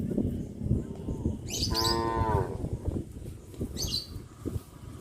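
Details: Village herd of cows released from their pen each morning, walking to grass fields along a country road; one clear wavering moo near the middle, surrounded by bird chirps and the rustle of moving animals.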